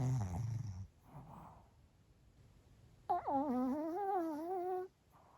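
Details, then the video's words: Lunchtime nap of the Pomeranian Bochao: a rough, low rumbling snore, a soft breath, silence, then a long whistling, whiny snore held almost two seconds with steady wavering pitch. "【いびき】【ポメラニアン ぼちゃお】"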